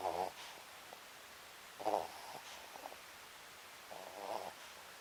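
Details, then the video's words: Sleeping Papillon named Sakura, snoring at home; three raspy, vibrating snore bursts roughly two seconds apart, with faint clicks in between and a quiet background. "パピヨン 愛犬さくらのいびき"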